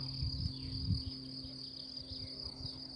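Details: Cicadas give a thin, steady, high-pitched buzz without a break over low wind rumble. This was recorded around 11 a.m. on 1 May at Lac de Madine, France, near a lake with ponies and horses.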